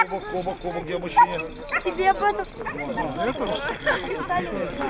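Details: Siberian husky recorded in Nizhny Novgorod on 3 February 2017: a string of yipping, whimpering, wavy vocal phrases that rise and fall like speech, mixed with people talking nearby.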